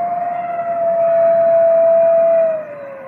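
A grey wolf holds a long, smooth, steady howl that sags slightly in pitch at the end.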